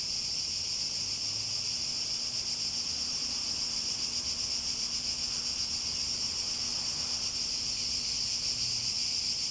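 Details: Cicadas drone in a loud, high, continuous buzz with subtle rhythmic throbbing, over a quiet low hum and light background murmur.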